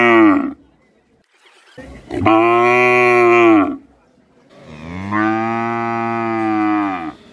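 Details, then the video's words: Bangladeshi village cow calling during its daily routine: the tail of one moo, then two long, steady, loud lowing calls about one and a half to two and a half seconds each, separated by a brief pause. "Cow Sound Daily Routine At Our Village | Animal Sounds, That Is Cow Sound In Asia Bangladesh"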